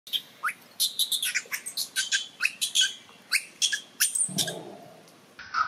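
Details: A baby macaque in Siem Reap Province throws a crying tantrum for milk because its mother will not nurse it, begging an aunt for help: rapid series of short, shrill squeals and squeaks, some with downward sweeps, in quick irregular bursts.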